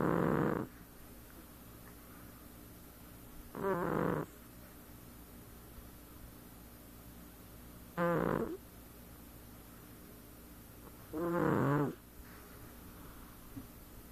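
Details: Domestic cat snoring while asleep, four short raspy snores with a gravelly low tone, each under a second, separated by pauses of three to four seconds of near silence.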